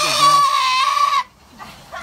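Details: Domestic goat screaming while getting a bath: one loud, harsh, strained cry with dense bright harmonics holding level for over a second, then cutting off abruptly into near silence.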